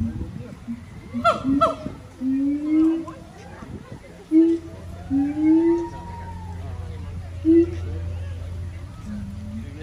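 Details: Siamang gibbons at the Honolulu Zoo in Oahu, Hawaii, September 15, 2022, singing in captivity: a few loud barks, then spaced rising hoots and a long upward-sliding wail over a low background hum.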